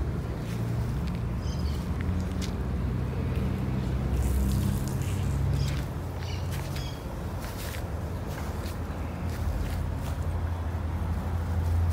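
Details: Outdoor rumble of a passing vehicle with low steady hum, scattered footsteps and squishing sounds, occasional faint voices; no animal calls heard.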